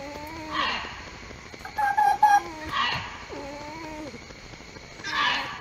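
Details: Fox in the mating season giving soft, nasal whining calls that rise and then fall, each about a second long, split by brief high chirps, over a faint steady background hiss.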